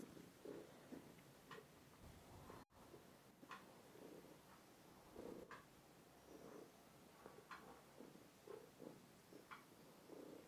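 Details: Tishka, a two-year-old plump house cat, purring close to a phone; soft throbbing purr phrases roughly every second, with faint clicks and handling noise indoors.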